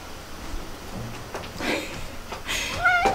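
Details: A pet cat in a multi-cat household where feline herpes has begun spreading gives one short, tonal meow with a slightly falling pitch near the end. Soft indoor rustling and handling noises come before it.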